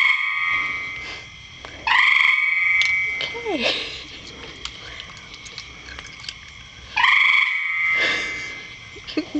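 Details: A frog calling from a rain barrel gives two long, steady, resonant trilled tones about five seconds apart. Brief speech and a short sliding squeak are heard between the calls.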